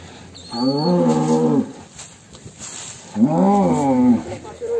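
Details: Cattle named The Legend of Damar Wulan, called extreme, coming out of its pen: two long, low, harmonic moos, each about a second, the second swelling and falling, with steady background noise between.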